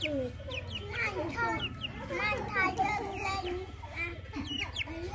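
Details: Poor hungry puppies, nursing from their mother and being fed, let out a busy chorus of short, bent, harmonic yelps and whines, overlapping quickly, with a constant low hum beneath.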